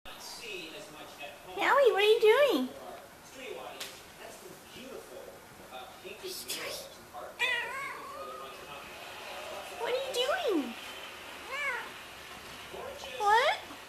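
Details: Red Devon Rex cat up on a bookcase talking: a series of short wavering meows and chirpy rising-falling calls, spaced irregularly, with a person speaking softly in the room.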